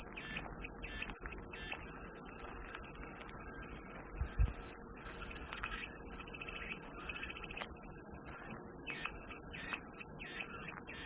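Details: Unbroken, piercing high buzz of cicadas filling the whole stretch, slightly wavering in intensity, with soft scattered lower chirps in the background.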